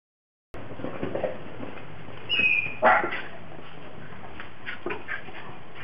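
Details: Japanese Spitz dogs playing in deep snow in Tennessee in 2009, the most snow they have ever seen; two brief high whining yelps near the middle, otherwise faint rustling and scattered soft noises.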